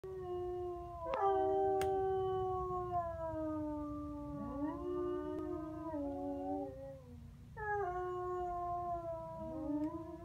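Several American Foxhounds howl together in long, overlapping, wavering tones that slowly slide downward.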